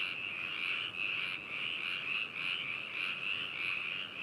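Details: Frogs at Hakushu in Yamanashi, Japan, captured with binaural microphones on 4 May 2018: a steady, dense trilling chorus, swelling slightly about every half second, many animals calling at once.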